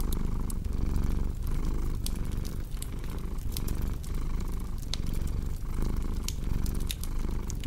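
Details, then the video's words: Low rumbling cat purr under frequent crackling and snapping from a fireplace, with soft breathing surges through the steady drone. "Purring Cat with Cozy Crackling Fireplace Sound"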